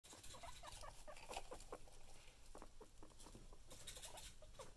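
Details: Guinea pig wanting food: short, soft squeaks repeated rapidly in quick bursts throughout, over steady rustling and patter of movement, with a low background hum.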